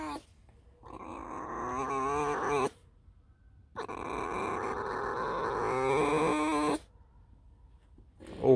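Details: Pet fox Alice squeaking in two long, somewhat raspy whines of about two and three seconds, the pitch wobbling throughout, separated by a quiet pause.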